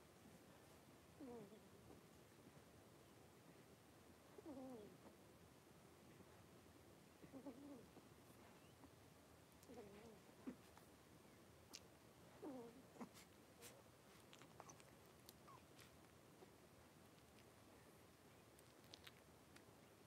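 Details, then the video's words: Indoor pen of five three-week-old blenheim Cavalier King Charles Spaniel puppies at play; low, wavering whimpers recur roughly every three seconds, each brief and slightly rising then falling, with faint clicks and rustles around them. "3-Week-Old Cavalier Puppies Wrestle and Play Live"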